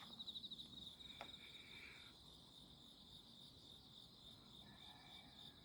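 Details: Insects calling on a midsummer night, 11 August 2025, heard while walking through grassy alleys under moon and stars; a steady high, shrill continuous trill, opening with a few quick rapid chirps, plus fainter lower buzzing in the background.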